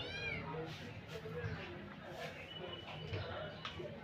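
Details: Three kittens playing lovingly in a playpen: a short, high meow with a falling pitch opens the recording, then fades under steady human speech and room noise.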